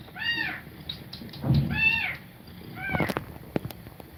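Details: Cat feeding milk to kittens with fast breathing; three short arched mews, spaced roughly a second apart, with a soft low thump and a few small clicks.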